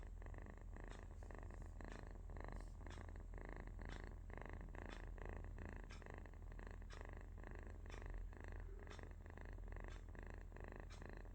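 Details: Sleeping baby cat (kitten) giving a soft, low rumbling snore-like purr, a steady buzzing drone with faint rhythmic breaths and small clicks roughly every half second, recorded indoors.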